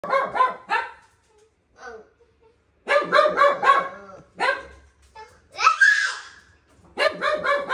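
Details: French Bulldog male puppy offered for sale in Japan, giving rapid, harmonic barks in quick bursts with short pauses, a brief whining squeal near the end, and faint human voices or laughter in the background.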